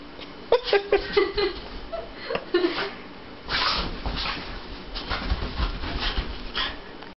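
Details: A Boston Terrier puppy, playfully wrestling with an orange tabby cat on a bed, gives a quick cluster of high, whiny yips, followed by scuffling and rustling.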